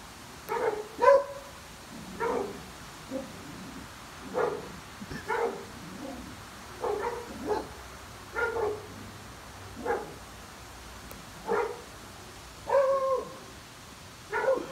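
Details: Two twin Old English Sheepdogs barking together in sync: short, mid-pitched barks land roughly every second or two, some doubled, across the whole stretch over a quiet background.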